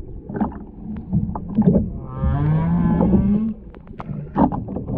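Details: Humpback whale singer recorded underwater at the Ogasawara Islands on 23 February 2021, on a whale-watching tour with a mother-calf pair and escort. One deep, rich moan lasts about a second and a half among bubbly, clicking water sounds.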